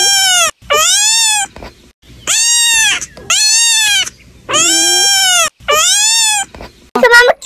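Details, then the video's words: Two young domestic kittens fighting again, calling with long, drawn-out, bleating meows, about six in a row, each arching up then down, followed by a short sharp squeal, with little else heard. "মেনুরা ওভাবে ডাকছে।"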